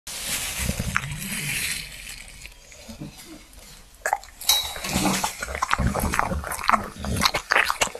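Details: A dog, possibly a bulldog, eats a light dinner with vegetables noisily, with wet smacking, crunching and chewing sounds in irregular bursts.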